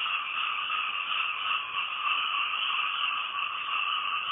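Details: A dense night chorus of frogs recorded from a house, possibly in Thailand, a steady high trilling hum with no breaks.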